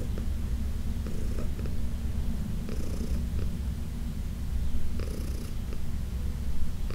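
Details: Heidi the senior cat purrs contentedly under massage in June 2021, a continuous low vibrating rumble with occasional gentle brushing strokes across her fur.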